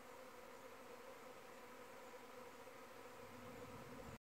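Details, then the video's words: Short stretch of honey bee flight noise, bees from the hive airborne during a possible virgin queen's mating flight, giving an unbroken, even buzz with a steady low drone and faint higher harmonics. "Honey bee (queen maiden flight)"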